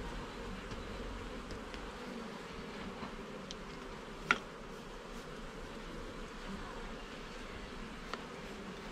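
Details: Honey bees hum in an opened garden hive during inspection, a softer, even drone broken by one sharp knock near the middle and a faint click toward the end.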